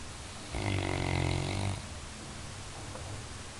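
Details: A Labrador Retriever sleeps and snores, mocked as the best watchdog; a single rumbling snore over about a second, rich low harmonics with a hissing edge, then quiet breathing.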